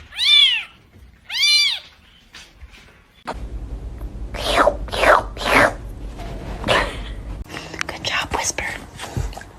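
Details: Domestic cat giving two clear, rising-and-falling meows with stacked harmonics, followed by people talking and whispering over a low indoor hum.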